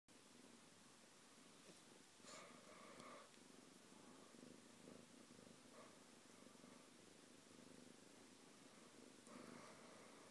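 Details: Domestic cat purring steadily while getting along with another household pet; a quiet, low continuous rumble, with brighter breathy surges around two to three seconds and again near nine seconds.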